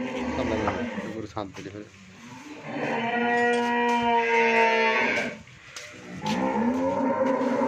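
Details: First-calf Friesian cow on a farm in Pabna, Bangladesh, gives a long, steady harmonic moo of about two seconds, flanked by shorter, rougher lowing calls at the start and end.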